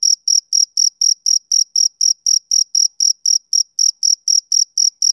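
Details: Male cricket chirping on a summer evening: bright, high-pitched chirps repeated about four times a second in a steady, even rhythm, with a faint higher overtone and no other sounds.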